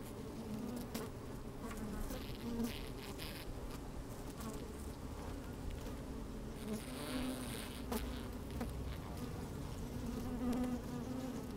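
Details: Honey bees moving about inside an open hive on a fine sunny day, captured with a microphone slid into the hive: steady humming drone, intermittent brief buzzes and sharp clicking taps throughout.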